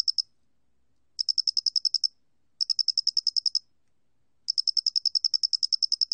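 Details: Flat-faced cricket from Korea's National Institute of Biological Resources collection, 2020, trilling in short bursts of about ten bright, high pulses each, with brief pauses between bursts and no other sounds.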